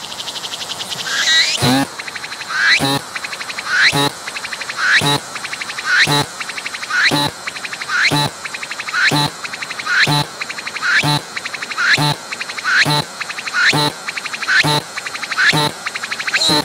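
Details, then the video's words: Cicada singing at close range, abdomen moving as it calls; loud pulsed phrases roughly once per second, each a rising buzzy sweep ending in a sharp broadband burst, with a steady high hiss between phrases. "鳴いているセミに接近して撮影してみた！I approached the cicadas that were singing and took a picture!"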